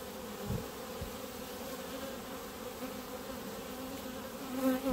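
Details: Honey bees from a clump gathered on the grass in front of the hives: a steady, low droning hum with a harmonic layer above it. A single bee passes close near the end, briefly louder and higher.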